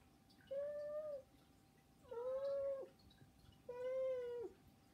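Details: Indoor pet cats begging for attention, no background music; three long, steady, drawn-out meows about one and a half seconds apart, each held level then dropping slightly at the end.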